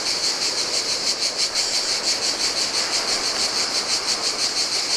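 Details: On a deserted Greek island beach in the heat, cicadas sing a steady, high, pulsing buzz with a faint wash of surf beneath.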